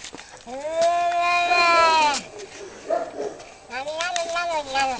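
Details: Two male cats fighting for territory outside a house; a long drawn wailing yowl holds steady then breaks off, followed by quieter rustling and a second rising-falling wail.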